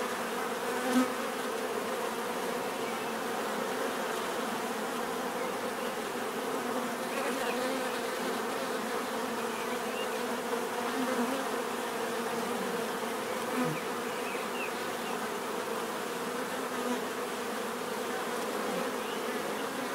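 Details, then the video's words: Many bees buzzing together in a sustained hum, with individual insects now and then swelling louder as they fly close, a couple of soft clicks early on. "bees therapy relaxing natural buzzing sound"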